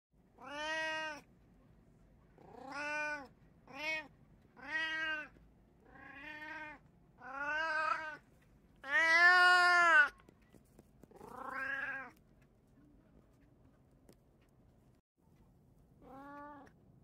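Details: Domestic cats indoors, one of three household cats including a Kijitora tabby, Munchkin and Abyssinian, meowing repeatedly: about ten drawn-out harmonic meows, some rising then falling, spaced roughly one to two seconds apart, with a quiet background hum.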